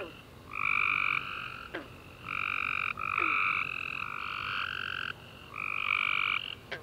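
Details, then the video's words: Several tree frogs chirping at night after a warm rainy summer day, long harmonic trilled notes overlapping at two pitches, nearly continuous with short pauses and a few sharp clicks. "Tree Frog Chorus After A Warm Rainy Day"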